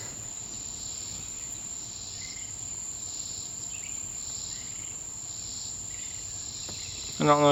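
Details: A distant swamp cicada gives soft, rasping pulses about once a second over a steady high insect whine, with possibly two singing, on 20 July 2026; a voice breaks in at the very end.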